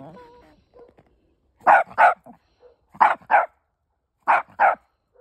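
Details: Fido, a pet Chihuahua, answers dogs barking on the other side, showing he is not scared: three pairs of sharp, mid-pitched barks spaced about a second apart, after a brief low murmur at the start.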